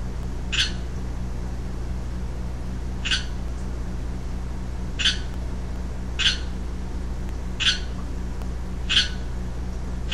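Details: A lone young male Pacific chorus frog (Pseudacris regilla) calls with brief, harsh, two-toned croaks, each separated by a pause of one to two seconds, over a steady low hum.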